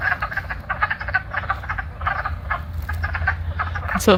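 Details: A chorus of wood frogs at a vernal pool in late March gives rapid, low, duck-like clucking calls in a steady stream while seeking mates, with birds in the background.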